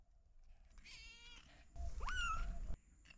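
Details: Kittens meowing, one of three kittens living with their mother cat in a house storeroom; a run of stacked, wavering mews, then a louder rising-and-falling meow with rich harmonics, over low background rumble.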